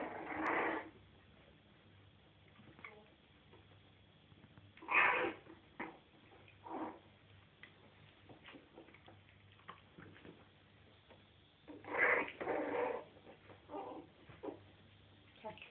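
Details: Jack Russell Terrier puppies, 3.5 weeks old, playing together in their bed indoors; several short, squeaky whimpers come in scattered bursts separated by quiet stretches of soft rustling, over a low steady hum.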